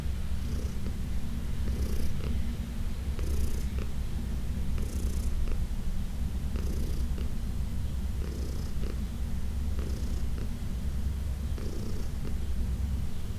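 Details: Senior female domestic cat, about 14 years old and adopted from a shelter, purring during a massage indoors: a steady low rumbling purr throughout, with soft rhythmic rubbing or stroking sounds recurring about every one and a half seconds.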